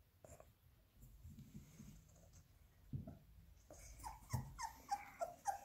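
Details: Labrador Retriever puppies indoors, fed minced beef: breathy low snuffling, then a run of short, high whimpers repeated rapidly, about three or four a second, over the last two seconds.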